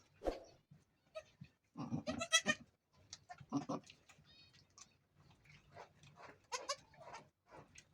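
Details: Goat bleating while giving birth to the first of two kids on a goat farm; loud, wavering, harmonic bleats in short bursts, strongest near the middle, with quieter scuffling and bleats between them.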